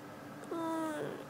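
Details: Pet cat indoors, recorded 21 February 2018, chatting with its owner: one soft, short 'kuu' coo held on a steady low pitch for about half a second, dipping slightly at the end, in a quiet room.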